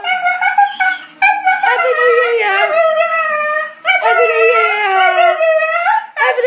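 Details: A Staffordshire Bull Terrier "talking" at New Year: loud, drawn-out howling yowls with wavering, rising and falling pitch, broken into several long phrases with short gaps, whining and yodel-like throughout.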